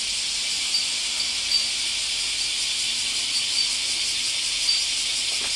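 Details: At the height of summer, 31 July 2014, cicada chorus reaching indoors as a continuous shrill buzzing hiss, even in level with only small pulses of loudness throughout.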